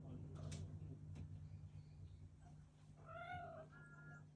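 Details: Scottish Fold cat indoors giving one short meow near the end, a bending, harmonic-rich cry about half a second long, followed by a brief thin steady tone, after a stretch of low rumble and a few knocks.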